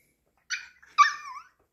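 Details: Ponki, a pet Pomeranian, cries after its owner leaves home: two short, high, harmonic whining yelps about half a second apart, the second longer and sliding downward, then a brief faint squeak.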